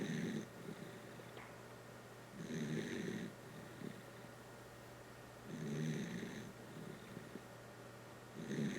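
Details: Dachshund named Kotaro snoring: soft raspy snores roughly every three seconds, each a breathy burst about a second long with a faint whistling overtone, quiet pauses between, steady low hum behind.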